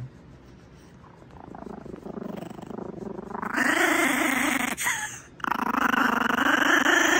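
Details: A tiny 3 lb Brussels Griffon, wet and protesting at being dried, growls in a low, rumbling, steady Chewbacca-like stream.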